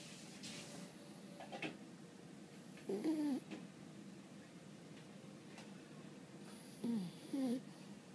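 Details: Sleeping French Bulldog Boo-chan, tired out from playing, gives a single whistly snore and later a quick double snore with gliding, nasal pitch; soft rustles and room noise between.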